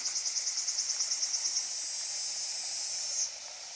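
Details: Cicadas by the Genka River: a shrill, high buzz, rapidly throbbing for about a second and a half, then merging into a smooth sustained drone that cuts off near the end, leaving fainter background insect hiss.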